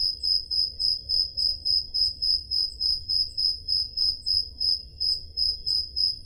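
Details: Greek summer night in the Peloponnese with crickets chirping, taken on a Zoom H5: piercing rhythmic pulses near three and a half per second, a softer higher-pitched chirper alongside, quiet low-frequency rumble beneath.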